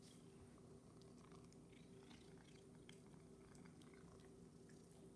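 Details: Rescued Domestic Shorthair cat purring indoors during a trick-training session: a soft, steady, low rumbling purr runs unbroken through the clip, with faint small clicks above it and no voices.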